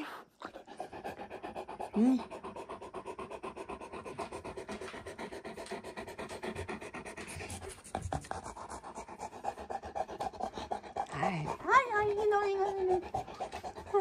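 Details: Steady, rapid panting from a Great Pyrenees in Mother's room, where the male Alain puzzles over his mirror reflection; breathy huffs run about four per second throughout, with a woman's voice briefly chatting and a short rub near the end.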